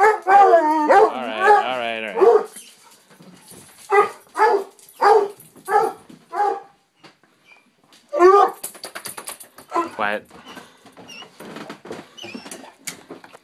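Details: Pet dog greeting its owner who has just come home: a wavering whining howl opens, then a run of five loud, evenly spaced barks about a second apart, with the owner's cheerful voice speaking between and after the calls.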